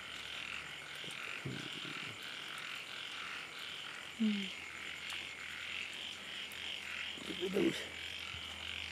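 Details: Small frogs in a night-time chorus during rain over floodwater, an unbroken band of high buzzy croaking pulses, with a few short low human vocal sounds breaking in near the middle and end.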